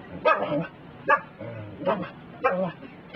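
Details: A Pembroke Welsh Corgi barks at a broom during sweeping, sharp mid-pitched bursts about one per second, trying to stop the cleaning.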